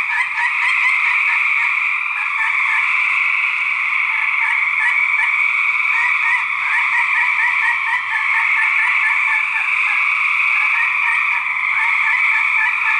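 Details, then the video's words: Gray treefrog males in a fight, 2010: loud continuous pulsed trilling from several overlapping callers, beaded pulses rippling steadily with brief dips in volume, no other sounds standing out. "Gray Treefrog Fights 2010!"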